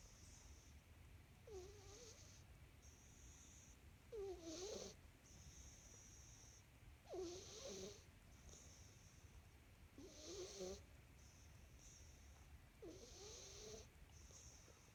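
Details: Male house cat snoring in his sleep, five raspy nasal snores spread over fifteen seconds at an even pace of about one every three seconds, each a short rough breath, with a faint constant low rumble beneath.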